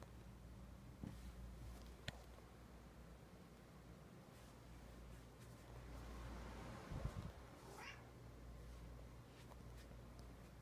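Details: Sleepy cute pet cat giving one soft, brief rising meow late in the recording over a quiet room with a low steady hum and a few faint clicks.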